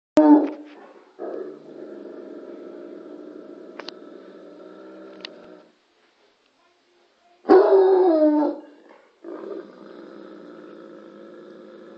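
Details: Bloodhound Lorenzo barking at the TV for no apparent reason: a short loud, deep, harmonic bark at the start and a longer drawn-out bay around the middle, separated by long steady droning tonal background sound.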